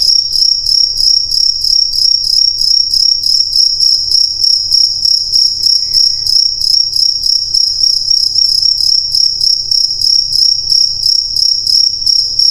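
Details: Crickets chirp in a dense, high, ringing trill, pulsing evenly around three times per second throughout, over a low background hum.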